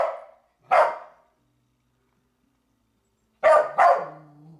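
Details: Riley, a pet dog, barking at Mii while being urged on: one sharp bark, a pause, then a quick double bark ending in a brief whine.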